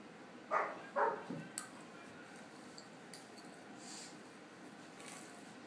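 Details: German Shepherd puppy at a patio door, barking at a still cat; two quick barks at the start with a softer trailing yip, then near silence with faint clicks and rustles.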